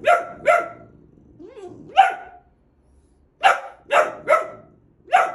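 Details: Boxer dog, a male pet, barking at home during play: sharp broadband barks, mostly in pairs, about seven in total with short gaps, plus a softer rising whine in between.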